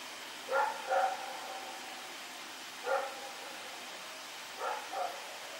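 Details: Rex the dog running around at night, September 21, 2018, giving bursts of distant barks: a quick double bark, a single bark, then another pair, against steady background hiss.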